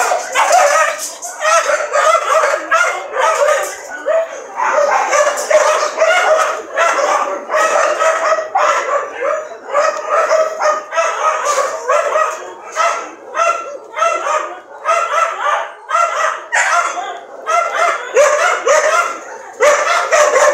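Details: Sustained, rapid barking from what sounds like more than one dog, with short harsh yaps piling on each other almost without gaps for about twenty seconds.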